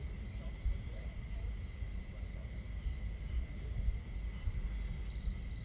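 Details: Crickets chirping on a starry night at a campsite: a steady train of short, high chirps about three per second, over a low rumbling bed of crackling fire and running water, with faint constant high tones.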